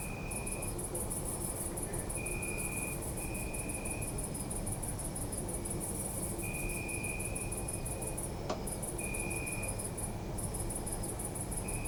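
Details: Nighttime crickets in a city park recorded with a Zoom F3: continuous shrill pulsed trilling with two short breaks, lower trills switching on and off, a single sharp click, and a constant low city hum.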